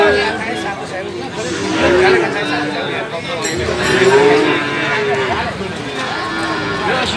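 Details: At a livestock market in Magetan, East Java, where young male calves are sold, two rising, drawn-out moos sound about two seconds apart against constant crowd talk and background clatter, February 2019.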